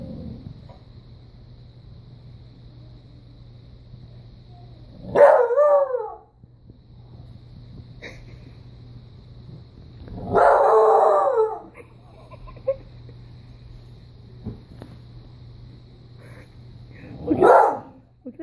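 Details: A young Rottweiler puppy gives three short, wavering howls for a toy a child holds up, being prompted to howl before getting it.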